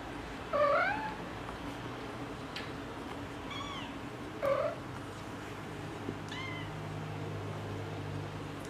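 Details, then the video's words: A cat talking back to its people with a series of meows, two strong rising calls and fainter shorter ones between, spaced unevenly over a low background hum. "Cats Talking With Their Humans | Funny Cats Yelling"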